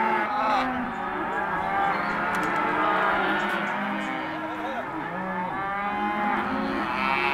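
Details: Mixed lot of non-pregnant Hereford and Careta cows calling, a thick wall of overlapping moos of varied pitch, some short and wavering, over low rumbling noise.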